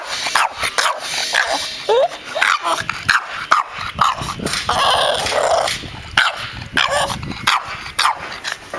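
A Boston Terrier gives sharp, repeated barks and low grumbles, demanding that its ball be thrown.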